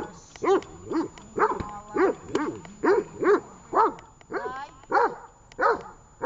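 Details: Tash the dog barks during a training session in Horlivka, 18.08.19: about nine loud, short barks in six seconds, spaced slightly unevenly, some with a rougher edge, over a faint background hum.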